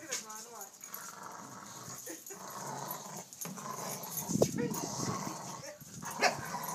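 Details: A corgi playing with a tetherball gives short, scattered barks and growly yips while people talk and the ball thumps nearby.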